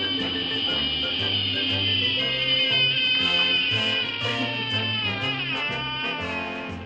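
An American bullfrog gives a long, loud, cat-like scream to ward off predators, over background music.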